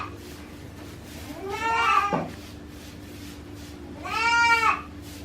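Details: Mother goat and newborn kid in a farm shed in Himi, Japan, 9 March 2019; two drawn-out, wavering bleats roughly two seconds apart over a steady low electrical hum.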